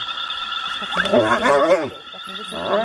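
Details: Hyenas locked in a deadly fight, one hyena killing the other: quavering, wobbly squeals rise and fall for about a second in the middle, over a constant background hum.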